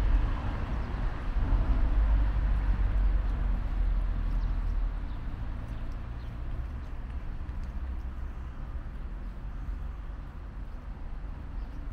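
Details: Only a steady low rumble of background noise is heard, with no clear animal voice. The sound stays broad and unchanging throughout, like distant traffic or handling noise.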